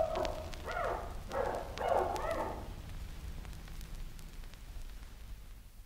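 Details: Chimpanzee giving four or five rough, husky grunts in quick succession, then falling silent, leaving only low background rumble.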